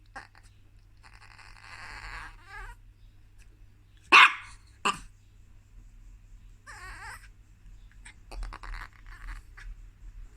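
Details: Chihuahua barking because it wants to get onto the bed: two sharp, loud barks about a second apart, surrounded by softer whiny, wavering whimpers before and after in a quiet indoor room.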